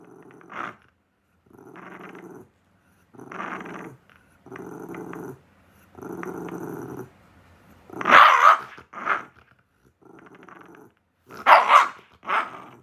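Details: Lonely Shiba Inu, seemingly picking a fight with its owner: several low rumbling growls in bursts about a second long, then sharp, loud barks near the end, one doubled, with more growling between them.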